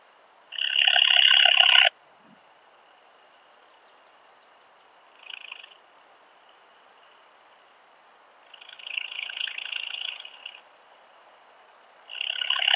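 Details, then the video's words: Montana montana, Siegersdorf, Austria, 15 June 2020, ultrasound detector used: one loud grating burst, then a short soft buzz, a longer weaker rasping phrase and another strong burst starting at the end, separated by quiet gaps. "Montana montana -- Steppen-Beißschrecke -- Steppe Bush-cricket"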